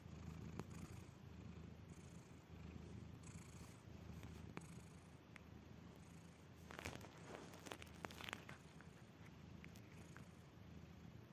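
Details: Cat deeply asleep giving a low purring snore, a steady soft rumble through breaths, with brief rustling and scratchy noises midway.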